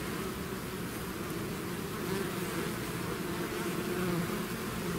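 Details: Bee swarm pouring out of its hive, a dense continuous hum of many wingbeats with a steady low drone and faint higher overtones, no pauses.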